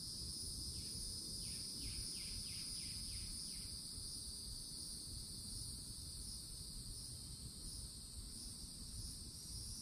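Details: Loud cicada chorus at a forest edge in Florida in summertime, an unbroken high hissing buzz, joined early by a series of short downward-slurred bird chirps repeated rapidly, over a steady low rumble.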